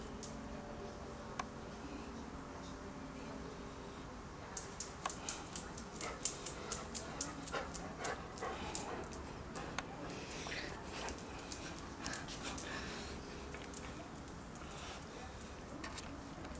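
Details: An Akita gives quick, breathy huffs and pants, with a person exclaiming nearby.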